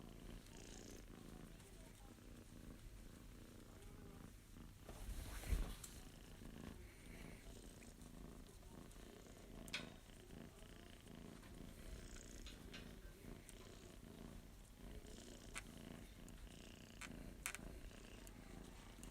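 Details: Male Abyssinian kitten, born September 2021, purring continuously as it is petted and its paw pads are pressed; a deep, even rumble lasts the whole stretch, broken by occasional soft clicks and rustling from handling.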